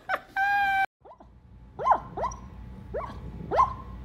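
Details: Dog giving a run of short whining yelps, each sharply rising then falling, repeated roughly every half second, preceded by a brief steady electronic tone and a snatch of speech.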